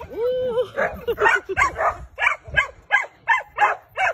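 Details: German Shepherd in bite training with a female handler: a rising whine opens, then a quick run of regular, sharp barks roughly every third of a second.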